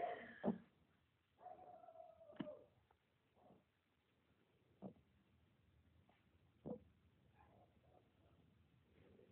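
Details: Piglet receiving a belly rub indoors, giving soft, short, scattered grunts and snorts at irregular intervals, with one longer, drawn-out tonal squeal near the start; quiet room, low overall volume.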